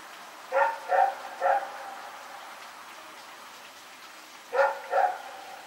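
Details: Rex the dog barking while running around at night, recorded September 21, 2018: a run of three barks, a pause of about three seconds, then two more barks.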